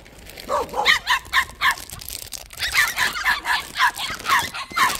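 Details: Dogs at a plum orchard, white puppies tied up one each; a run of short, high-pitched yapping barks repeated about twice a second, with a person speaking nearby.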